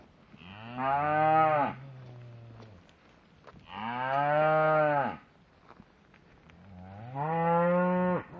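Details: Shorthorn cattle, a herd of cows and calves, lowing: three long, loud, harmonic moos, each about a second and a half, swelling then dropping off, spaced roughly three seconds apart, with quiet pauses between.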